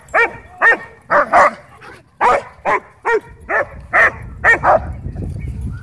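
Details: German Shepherd at a dog park, territorial and aggressive over toys, demanding the ball from its owner; another dog, Bodhi, joins in playfully. Loud, sharp barks in a steady series, about eleven in six seconds, some doubled, with faint background rumble.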